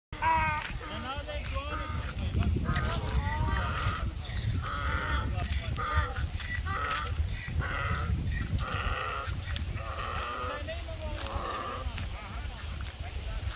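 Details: A donkey (Equus asinus) brays at night, a harsh see-sawing hee-haw over a low rumbling background.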